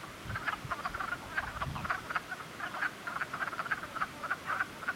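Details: Several frogs in spring give a thick chorus of short, pulsed croaks, many per second and overlapping, with a few low thuds in the background.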